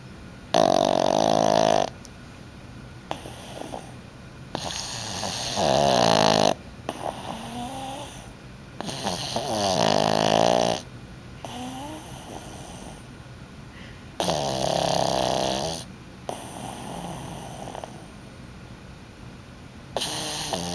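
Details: Yoshi the pug asleep and snoring loudly indoors, with loud rasping, buzzy snores about every two to three seconds and softer wheezing breaths between them.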